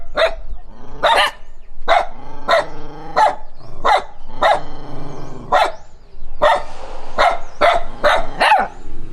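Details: Dog reacting to a stranger while running, steady loud barks repeated about every half second to second, some slightly drawn out and harsh, with a faint low rumble behind.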